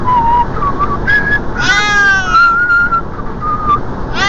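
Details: Siamese cat meowing from the passenger seat while traveling by car; several thin, tonal cries, some long and wavering, over a steady low rumble of road noise.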